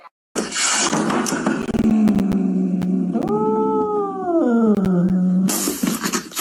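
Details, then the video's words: Excited cat gives one long, drawn-out yowl lasting about five seconds, steady and low at first, then swelling upward in pitch before sliding back down; harsh noisy bursts open and close the sound. "Cats Get Excited About Absolutely Nothing!"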